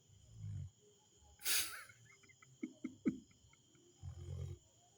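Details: Snoring Rottweiler gives two low, rough snores about three and a half seconds apart, with a burst of human laughter and a few sharp clicks in between.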